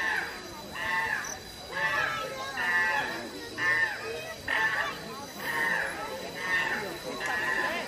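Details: Fighting chimpanzees at the Los Angeles Zoo give loud, tonal screams with rich harmonics, each lasting about half a second and repeated at a fairly even pace roughly every second, over constant background hiss.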